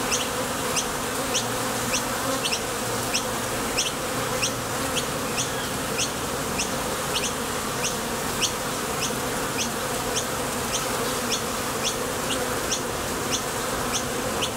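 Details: Honey bees flying in and out of a Top Bar Hive entrance while foraging for nectar produce a thick, unbroken hum. A regular series of quick, thin rising chirps repeats over the drone.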